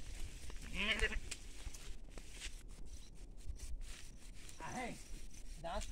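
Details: Sheep and lambs on farmland, bleating twice: a wavering, quavering bleat near the start and another shorter one near the end, with human speech and rustling outdoors between them.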